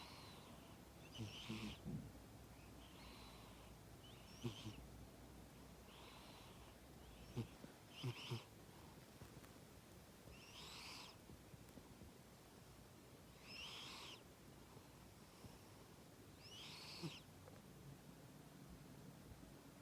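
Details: Cat snoring in its sleep: soft, airy, breathy snores repeat about every one and a half to two seconds at low volume, with a few faint clicks in a quiet room.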